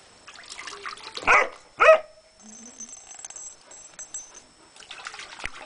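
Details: Graaf Vasquo, a dog on a hot summer day, afraid of the small cooling pool set up for him, gives two loud sharp barks about half a second apart, amid splashing water and faint background voices.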